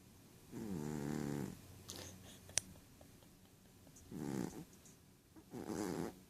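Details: Male Ragdoll cat Rohan dozing and dreaming, his snores softer here: three muffled, rumbling breaths about two seconds apart over low room noise, with faint rustling and a single click.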